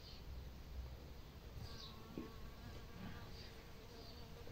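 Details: Bees foraging among fields of sunflowers, collecting nectar and pollen in a gentle breeze: a steady, low droning hum with faint tonal overtones, set against constant rumbling wind noise.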